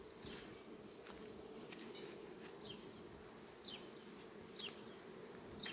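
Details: Honey bees flying among sunflowers on a farm on 18 July 2021, a steady low droning hum throughout, with short high chirps at intervals over the top.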